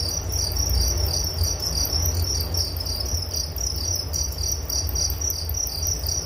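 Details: Crickets calling in fast, loosely regular pulses, roughly four per second, a bright high trill over a constant low rumble.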